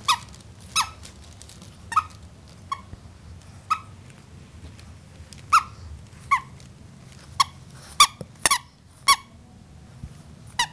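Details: A bulldog puppy with hiccups gives brief squeaky clicks at uneven intervals, about fifteen across the stretch, some coming in quick pairs, with faint room hum underneath.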